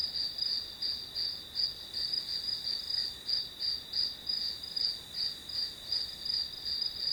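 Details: Grass insects calling through a one-hour study session recording, a steady high chirping pulsing about three times a second over a constant shrill drone, with no other sounds.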